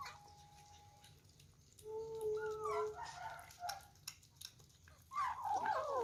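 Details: Meows from kittens at their first meal, squabbling over food: a quiet opening, then a sliding meow around two seconds and a louder, tangled burst of cries near the end.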